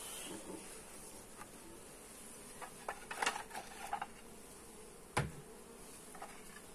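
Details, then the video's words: Honey bees buzzing during a hive inspection, filmed on a Xiaomi Redmi Note 8 phone: a steady low hum under scattered clicks and knocks of handling at the hive, one sharp tap near the end. "Hive inspection - Bee sounds"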